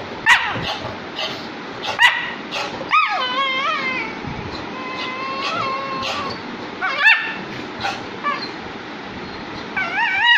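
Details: Saint Bernard Max and Lab puppy Zorro, the puppy bothering the big dog while he slept and Max showing him who's boss; sharp yips and rising-falling whines repeat through the clip, with bursts of scuffling between calls.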